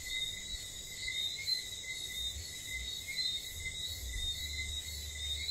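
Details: Nighttime tropical ambience from St. Lucia, where whistling frogs give clipped, rising whistled notes in overlapping series over a constant shrill insect hum, with soft low-pitched storm rumble beneath.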